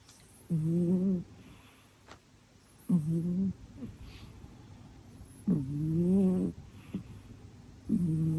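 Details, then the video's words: Sleeping pet cat snoring: low, nasal, rumbling snores with clear harmonics, each lasting under a second, repeated roughly every two to three seconds, with faint room hiss behind. "Кошка храпит во сне"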